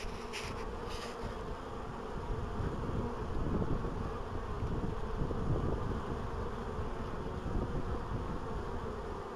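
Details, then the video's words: Honey bees at an apiary in 2012, a dense, steady low buzzing hum that fills the whole recording with only slight swells in loudness, plus two brief faint higher crackles near the start. "Pszczele bzykanie"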